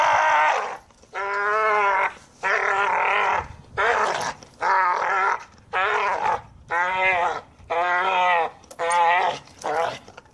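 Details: American Staffordshire Terrier making a run of short, harmonic, moaning vocal bursts, each rising then falling, repeated roughly once a second with brief silences between.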